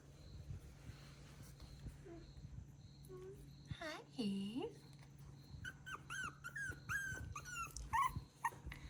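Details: Miniature Schnauzer puppies indoors, squeaking and whining: a few soft, low moans early on, then a quick run of high, wavering squeals and yelps in the last three seconds, with a person speaking softly nearby.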